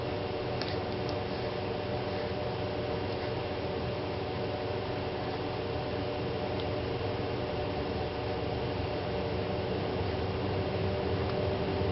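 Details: Constant low hum and room noise run throughout, with no clear animal sound.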